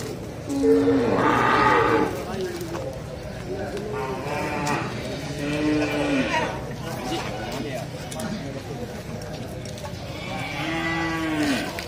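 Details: Cattle being loaded onto an L300 pickup truck give three drawn-out, strongly harmonic moos, near the start, midway and at the end, over background music, people's voices and steady handling noise.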